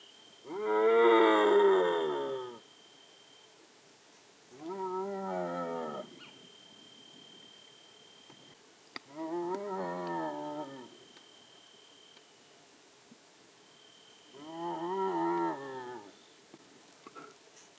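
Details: A young striped hyena calling at dusk, possibly calling its mother (recordist unsure), gives drawn-out, wavering whining calls, each about two seconds long, repeated every few seconds.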